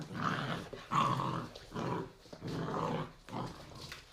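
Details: Three-month-old pit bull puppies playing indoors in an apartment, 2017: a run of four or five rough, harmonic growling bursts, each about half a second long and spaced with short pauses, in a small room.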